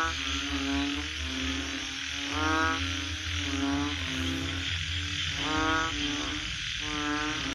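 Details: Mating frogs call in rasping, pulsed croak bursts, several in close succession. A constant high hiss runs throughout, and a low drone fades out partway through.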